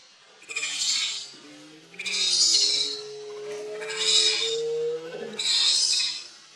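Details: Leo, a hungry baby monkey pleading with its mother for milk, utters four drawn-out shrill wailing screams at roughly one-and-a-half-second intervals, over a low steady tone of background music.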